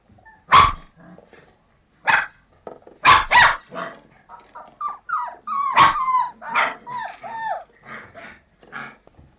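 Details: Puppies giving several sharp barks followed by a run of high, falling yelps and whines, with short pauses between bursts.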